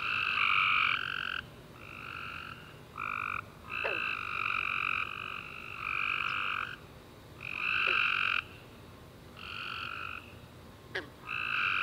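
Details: Night-time tree frog chorus recorded after a rainy summer day, with long buzzy trilling chirps up to a second or more that overlap and pause briefly, plus a few faint sliding clicks in between.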